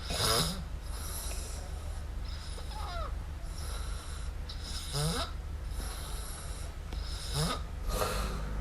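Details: Miumiu, a kitten, snores while asleep indoors. Soft hissing breaths come at irregular intervals over a steady low hum, with faint chirping, squeaky tones between breaths.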